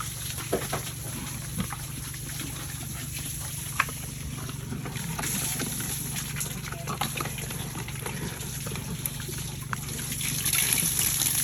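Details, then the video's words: Farm pigs raised for sale, feeding: wet slurping, smacking and chewing clicks in quick irregular bursts over a steady low mechanical hum, with a rise in splashing noise near the end. "Pig Farming Eating"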